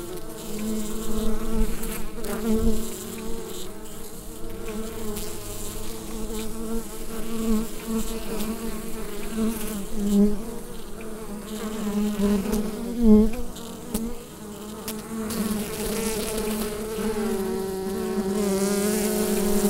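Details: Low, layered droning of bees within a hive, recorded using a Rode NT-USB microphone. The buzz stays constant with slight swells and a few brief clicks or taps.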